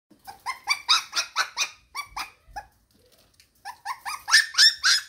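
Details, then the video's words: One Shiba Inu puppy crying at 5am, wanting its mother: rapid series of high yelping squeals, about four per second, a brief pause near three seconds, then louder shrill cries resuming. "shiba puppy cries"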